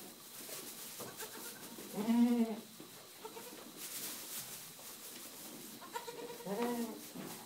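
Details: Young Boer goat kids bred in Bavaria, Germany, 2011/12, playing together; two short wavering bleats with rich harmonics, one near the start of the second third and another toward the end, over a quiet, slightly hissy farm background.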